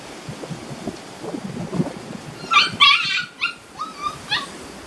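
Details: Beauceron puppies aged six and a half weeks from a working-line kennel litter (Loché x Novillo), in a new pen on 27 May 2019. Quiet shuffling gives way to a burst of high, sharp yelps and short whimpers over the final two seconds.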